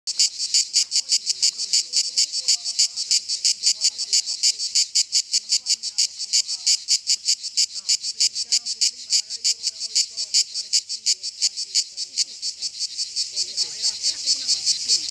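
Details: A cicada on a tree sings by stridulation, a shrill, buzzy, rasping song of rapid, even pulses, about three or four each second, without pause, with faint distant voices murmuring underneath.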